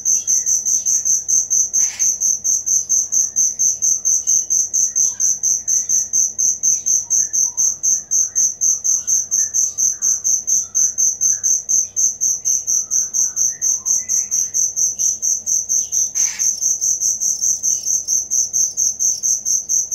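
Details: Cricket chirping, recorded as training material for songbirds: a steady high, pulsed trill repeating rapidly and evenly throughout, with faint scattered softer chirps beneath and two brief broadband clicks.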